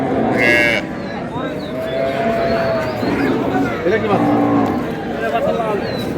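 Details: Cows with calves at Ambari livestock market, Dinajpur, 6 April 2026; short lowing moos rise over a dense hubbub of voices and trade talk, one sharp clatter near the start.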